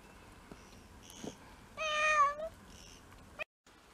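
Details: Pet cat from a six-cat mixed-breed household, indoors on a first-snow day, February 2023; after faint rustling comes one loud drawn-out meow with a wavering pitch, then a brief click and quiet.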